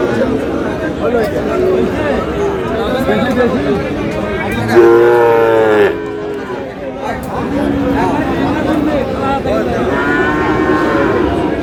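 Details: Sahiwal bull calves traded at the start of market day at Aftabganj, Dinajpur, 8 August; a loud, rich lowing call swells about midway and lasts over a second, surrounded by steady crowd talk and price bargaining.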